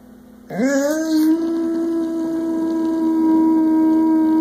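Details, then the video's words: Boo, a 100-pound boxer dog who loves to sing and howl, starts a howl indoors: a tone sweeps up sharply, then holds as a long, steady, even note with clear overtones, over a faint background hum. "Boo Boxer Singing"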